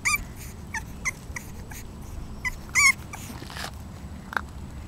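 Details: Lokita, a 35-day-old female English Bulldog puppy, gives short high squeaky whimpers, a quick run of brief yelps at the start and another cluster near the three-second mark, followed by a single faint squeak against quiet background hiss.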